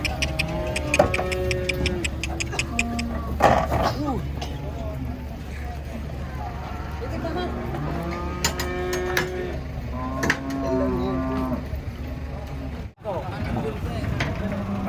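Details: Cattle being unloaded from a truck at market, with several drawn-out harmonic moos overlapping among steady low engine rumble, clicks and knocks, and brief human voices.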